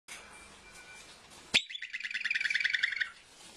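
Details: Woodchuck, also known as groundhog or whistle pig, at a wildlife rescue: a sharp sudden burst, then a fast run of about twenty shrill, evenly pulsed whistles lasting around a second and a half before stopping.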